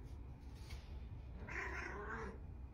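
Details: Orange female cat in an empty bathtub begging her owner to turn the tap on so she can play with water; one soft, drawn-out meow in the second half over low room hum, with a person speaking nearby.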